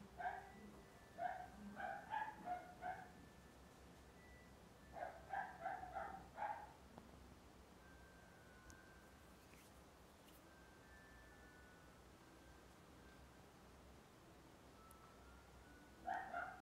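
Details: A female calico Maine Coon cat, born September 2017, gives quick bursts of short, bright chirp-like calls, several in a row, then falls silent for a few seconds, with faint thin tones humming in the background.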